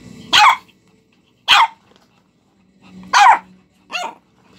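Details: Two-month-old Shih Tzu puppies at play give short, sharp, high yapping barks at uneven intervals.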